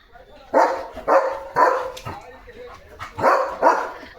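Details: Leo the German Shepherd, a household pet, barking at approaching cattle on a rainy morning: five sharp barks in two bursts, the last two close together, with a person speaking softly between them.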